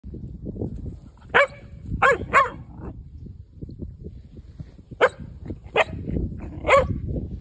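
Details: Four-month-old Belgian Malinois puppy confronting a seven-foot black snake in South Texas, around Alice and Freer: sharp, short barks in irregular bursts, six in about seven seconds, over low rumbling background noise.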